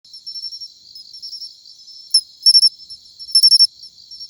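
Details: Matsumushi cricket singing in autumn: a high, pure ringing chirp pattern, soft trilled notes building to loud bright bursts of two to four clicks, the classic chin-chiro-rin rhythm, no other sounds.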